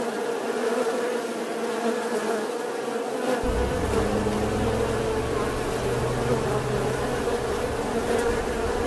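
A bee buzzes continuously, a steady mid-pitched drone that holds an even tone throughout. A low rumble, like wind or handling noise, joins in partway through.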